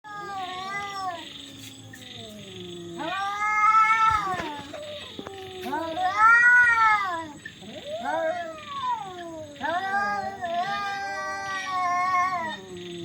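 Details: Cats fighting, very loud: long, drawn-out wailing yowls that bend up and down in pitch, swelling into harsh peaks roughly every three seconds, with a faint steady hum in the background.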